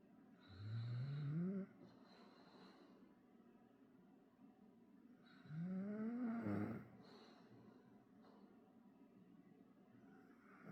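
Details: A male Bull Terrier, fast asleep on a lap, snores deeply, each rasping breath rising in pitch and lasting about a second.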